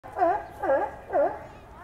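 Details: A sea lion at a New York City zoo gives three quick, honking barks about half a second apart.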